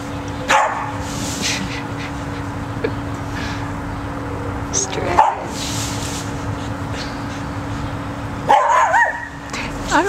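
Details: Pet cocker spaniel Max, scared of a tunnel that keeps his treats from him, lets out sharp barks near the start and middle, then wavering yips toward the end, while people chat over a constant electrical hum.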